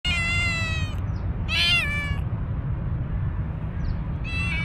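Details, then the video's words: Stray tuxedo cat on the street, not getting along with an older cat, giving an angry voice: a long harmonic meow that falls at the start, a sharp strained cry in the middle, and another rising meow at the end, over steady low rumbling background noise. "Tuxedo Cat with Angry voice"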